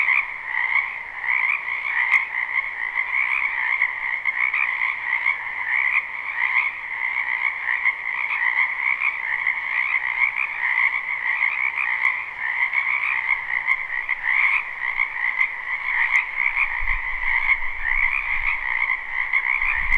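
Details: Large chorus of frogs in a wetland during spring, recorded live: sustained overlapping trilled croaks in steady mid and high bands, with a low thump toward the end.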